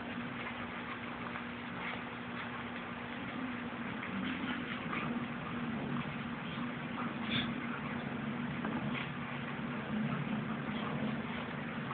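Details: A steady electrical hum and muffled indoor room noise continue throughout, with no animal call.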